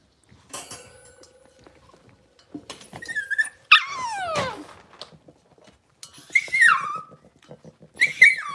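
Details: Blenheim Cavalier King Charles Spaniel puppies aged six weeks, from a litter of five, in their home puppy pen; high squeaky whimpers and whines sliding downward in pitch, separated by short quiet gaps with light rustling.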